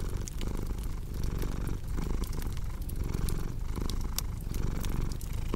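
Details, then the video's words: Cat purring in a soft, vibrating drone with regular breath-timed surges, mixed with light crackling from a fire. "Purring Cat with Cozy Crackling Fireplace Sound"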